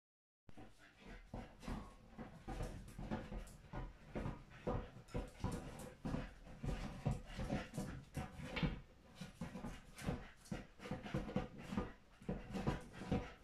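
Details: A Staffordshire Bull Terrier playing with a ball makes quick, low, breathy huffs and grunts, repeated every half second or so.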